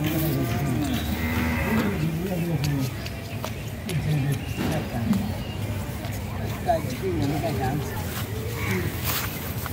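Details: Holstein Friesian heifer mooing in a low, drawn-out voice, with the pitch wavering over the first few seconds, against steady background noise and some voices.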